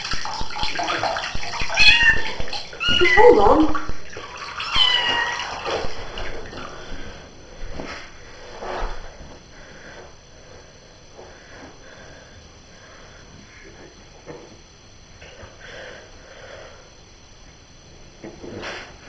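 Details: Pet cat meowing while being given a bath: a few short, wavering mid-pitched meows in the first five seconds, mixed with a person's voice and splashing water, then quieter bathroom sounds and occasional faint cries.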